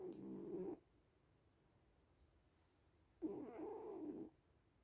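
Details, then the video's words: Sleeping little cats snoring: two raspy, low, harmonic breaths about a second long, separated by a quiet pause of roughly two and a half seconds, in a still indoor setting. "Sleeping little cats (and snoring)"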